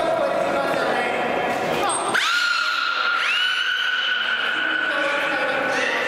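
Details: Port of Nagoya Public Aquarium beluga Mirai-kun in public training, voicing through his head hole; a sharp upward sweep opens a long level whistle, then a second rising whistle follows, with hall echo and voices.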